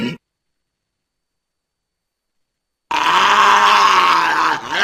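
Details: Walrus calling with a harsh, buzzy, steady groan that lasts nearly two seconds and fades at the end, after a very brief burst of sound and a long silence.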